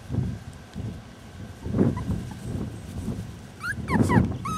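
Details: Rescue-born Rat Terrier puppies in July give a few short high whimpers near the end, sliding squeaky notes after a stretch of low shuffling and rumbling noise.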